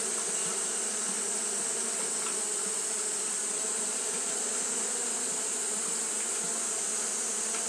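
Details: Japanese honey bees fanning nonstop in the heat, a steady droning buzz with faint irregular flickers in the hum and a constant bright hiss riding on top.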